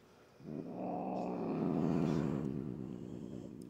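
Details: Upset house cat, a female that is usually calm, growling before having her nails clipped: a long, rough, pulsing low growl that swells and slowly fades over about three seconds.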